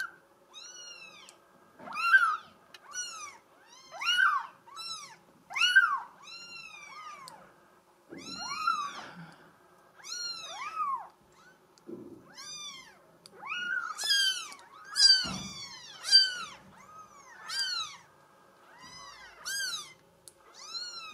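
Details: Mink solid Bengal girl kitten meowing persistently, over a dozen short high arched mews in quick succession, some clustered in rapid pairs, with soft rustling and faint thumps in an indoor setting.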